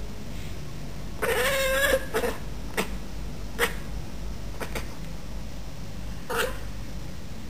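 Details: Pet Bengal cat in a garden, calling at a bird walking across the bottom of the garden: one drawn-out nasal meow followed by several short, sharp clicking chirps spaced about a second apart over steady background hum.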